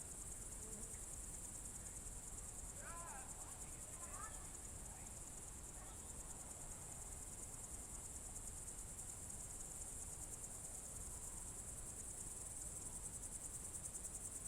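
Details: Crickets on a June 2023 evening in the Novye Buregi tract, Novgorod Oblast, Russia: a steady, high, shimmering trill runs without pause, with a few faint bird chirps in the first seconds and low rumbling background noise.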